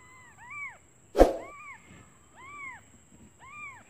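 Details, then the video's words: Newborn kittens, hungry, call for their mother while she is out looking for food: thin arched mews, each rising then falling, come about once a second in a quiet room, interrupted once by a sharp knock. "Suara anak kucing memanggil ibunya"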